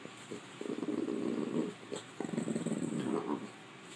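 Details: A female French Bulldog gives low, rumbling grumbles in two long bursts, the noise it makes when annoyed.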